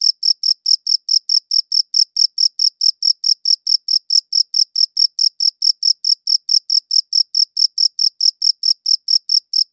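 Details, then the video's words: Crickets chirp without pause, sharp high-pitched pulses evenly spaced at roughly two per second for the whole stretch, a clean recording with no background noise. "Cricket Chirping Sounds"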